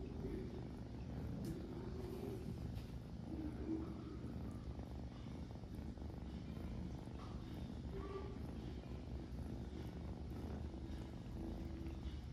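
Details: Kitten busy grooming itself while a steady low purr runs without break, with soft higher tones and faint licking noises on top.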